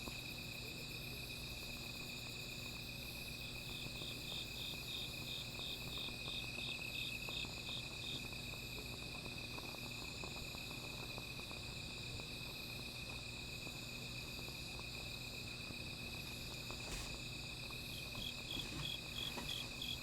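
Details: At night by a small fire, a constant high insect drone carries a rapid pulsed trill of about a dozen beats, which returns briefly near the end over a low hum.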